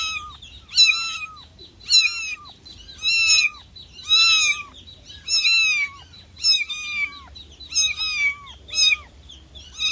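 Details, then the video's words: Cat giving repeated plaintive meows, each a strained, nasal wail that rises then falls. Eight or so calls come in a steady run, roughly one per second, over a faint low hum. "Cat Sounds for calling cats, cats meowing"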